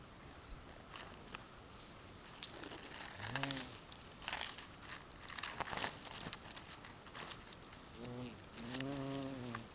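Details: Bumblebee at Sant Llorenç de Morunys on 17 July 2020: two short passes of a low, droning buzz, one near the three-second mark and a longer one near the end, set against frequent crackling and ticking clicks.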